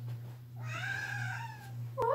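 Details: Pet cat indoors meowing very loudly, apparently wanting company to go downstairs; one long drawn-out meow that rises then slowly falls, over a steady low electrical hum, with a sharp click at the end.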